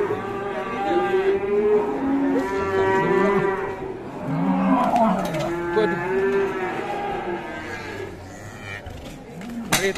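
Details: Fierce cattle being handled, several long harmonic moos with wavering pitch, overlapping calls from more than one animal, brief clicks and clatter in the background.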